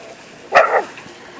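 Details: Single short, bright bark from a dog chewing gum, rising sharply then falling over about a quarter second, with near silence around it.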